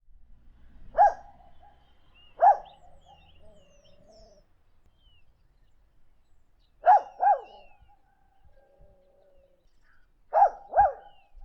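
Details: Dog giving short high yelping calls, single or in quick pairs, at about 1, 2.5, 7 and 10.5 seconds, with faint thin tones between them in a quiet setting.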